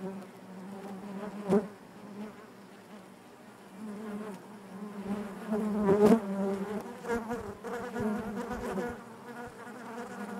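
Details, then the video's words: Honey bees inside the hive give a constant low-pitched buzz layered with overtones, punctuated by sudden loud bursts as single bees brush close, notably near the start and around six seconds. "bees therapy hive natural buzzing sound"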